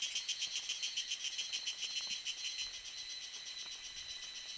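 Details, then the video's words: Tanna viridis cicada singing in May or June at Lianhuachi or Dasyueshan, Taiwan, recorded with a Sony A7s3 and Rode VideoMic NTG: a high, buzzy, rasping pulse repeated about three to four times per second, slowly fading. "小暮蟬 蟬鳴聲 / Tanna viridis - Cicadas in Taiwan"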